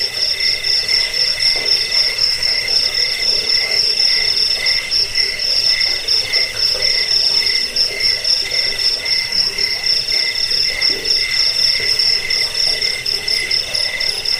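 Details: Cricket chorus for scaring off rats, bedtime listening and bird song training; quick piercing chirps repeat about four times a second in a continuous high buzz, steady throughout.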